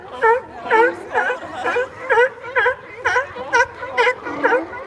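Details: Sea lion barking in San Francisco: a steady series of hoarse, harmonic honks, roughly two per second, each bending up then down, with little else audible.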